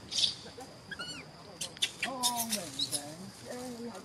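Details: Pampered young macaque whistling angrily when he disagrees: short tonal calls, a few high thin whistles early on, then two clearer harmonic calls that rise and dip, with background chatter and clicks throughout.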